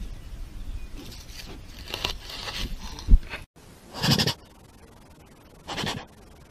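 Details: Jaguar chuffing vocalization, heard as a series of soft blown snorts. A muffled burst comes early, then two clean breathy puffs about a second and a half apart over a quiet background.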